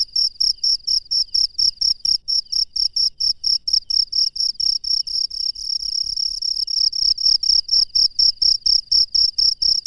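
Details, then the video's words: Night-time wild cricket giving a steady train of piercing chirps, regular pulses continuing throughout, briefly merging into a near-continuous trill midway before separating again; faint low ticking noises in the background. "SUARA JANGKRIK LANGSUNG DARI ALAM LIAR DI MALAM HARI"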